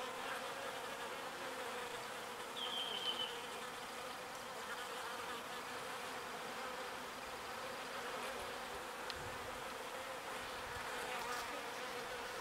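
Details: Bees gathering pollen and returning it to their hive: a continuous droning hum of many insects in flight, with a short, high whistle near the third second and a faint click later.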